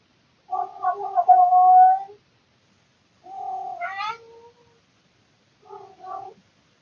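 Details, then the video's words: Male domestic cat at night around 3 to 4 am, making its routine annoying calls: three drawn-out meowing wails, the first long and steady, the second rising then falling, a short third, with quiet gaps between. "Cat making funny annoying sounds (routine noises at night)"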